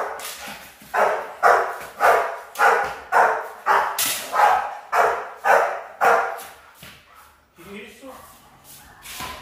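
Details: Rottweiler puppies in a high-performance guard-work training routine, barking in a steady run of sharp, loud barks about two per second, with a short pause and quieter sounds near the end.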